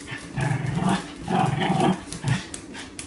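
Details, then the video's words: Angry dog giving a low, rumbling growl in uneven bursts about a second apart, rough and throaty against a steady hiss of background noise. "Funny Angry Dogs Barking And Growling"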